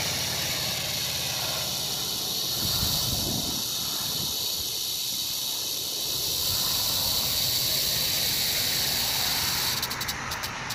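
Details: Rattle of a rattlesnake from 1 July 2018: a sustained sizzling high buzz with even intensity, slightly louder toward the end, with some soft low-pitched rustle beneath.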